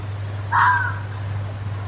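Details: Single hoarse, rasping fox scream lasting about half a second and falling slightly at the end, heard in woodland over a constant low-pitched hum.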